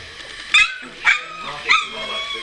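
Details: ["Puppies at two weeks old, eyes just opening, 30 March 2017: three sharp, squeaky yips spaced about half a second apart over a faint hum, between a woman's gentle greetings."]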